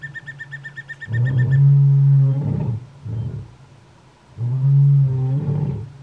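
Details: Wild lions roaring in the Kgalagadi, where roars warn other lions off territory and help pride members locate each other; deep, drawn-out moaning roars in two long bouts with a shorter grunt between, preceded by faint high ticking.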